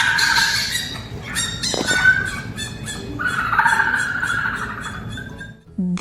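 Fennec fox giving high, squeaky, harmonic chirps and squeals in quick uneven bursts. A narrator's voice cuts in at the very end.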